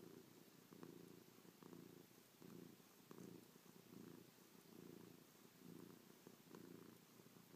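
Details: Affectionate pet cat purring close up while lying on its owner, kissing, licking and pawing the owner's face; a soft low rumbling purr pulses steadily, about one cycle per second, in a quiet indoor room.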